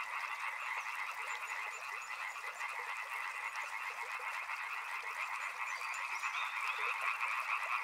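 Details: Frogs calling together near a river: a continuous mass of rapid rattling croaks that rise and fall slightly in loudness, with faint scattered high clicks.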